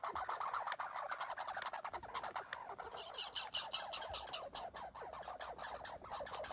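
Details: Red squirrels fighting and boxing, barking in a fast run of sharp, dry clicking pulses that rattle on without pause across the whole stretch, the energy spread high and wide.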